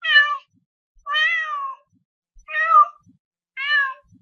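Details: House cat giving four meows: a short one, a longer drawn-out wavering meow, then two more brief calls, each with a rich harmonic, slightly rising-then-falling tone and quiet gaps.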